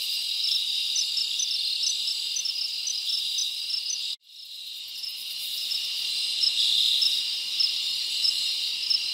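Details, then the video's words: Crickets chirping at night in a summer forest: a dense, high, continuous chorus with rapid regular pulses, about four per second, cut by a sudden brief silence midway before the shrill trilling returns. "Live Crickets Natural Sound ASMR"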